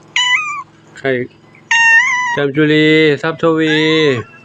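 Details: Temple cats at Wat Pong Chai, Chae Hom, Lampang, Thailand, calling as the revered monk returns: two clear high meows with falling ends, then a man talking loudly over the scene.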